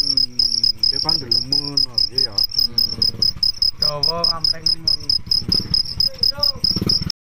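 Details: A male cricket stridulates, rubbing its raised leathery front wings together to attract females, producing a shrill, high-pitched song of fast pulsed chirps that runs on almost continuously, with low human voices murmuring faintly in the background.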